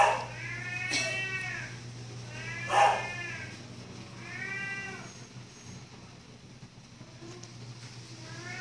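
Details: Domestic cat giving a series of drawn-out meows, each arching up and then down in pitch with clear harmonics, roughly five calls spread across eight seconds, over a steady low electrical hum.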